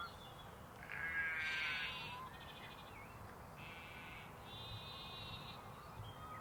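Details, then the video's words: Sheep and lambs in an outdoor setting: several faint, nasal bleats of varying length, one louder and rougher, with small birds chirping in the background and steady low rumble. "Sheep and Lambs Ambience"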